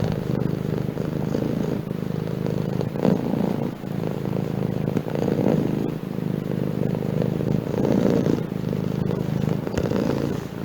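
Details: Cat purring in a deep, motor-like rumble with regular breath cycles swelling roughly every two seconds, and a few faint clicks.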